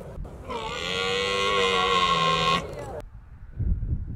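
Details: A single sustained, gravelly roar from a red deer stag during the October rut in Britain, lasting about two seconds with rich, steady harmonics. It cuts off abruptly, leaving low outdoor rumble.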